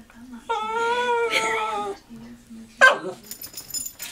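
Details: Pet Shih Tzu vocalizing at a parrot in a small room: one sustained, steady howl-like whine lasting over a second, then a sharp short yelp, with a person talking quietly.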